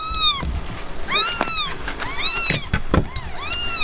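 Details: Himalayan cat Blanca after giving birth, with her kittens: clear, thin, arching meows repeated roughly every second, bright and high-pitched, with a few sharp clicks and knocks between them.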